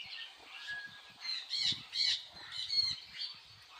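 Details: Meerkats looking for food give high, squeaky chirps and raspy squawks in short irregular bursts.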